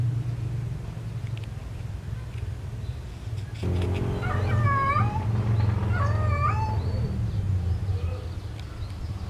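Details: Domestic cat looking for a mate gives a cluster of short, rising-and-falling yowls in quick succession after a quiet start, the calls fading into softer whines, with a loud steady low rumble underneath throughout.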